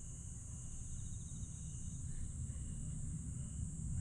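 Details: Grass insects chirping on a July night (22 July 2022) at Aewol, Jeju, South Korea: a constant shrill high hum with faint pulsed trills, under a heavy low rumble.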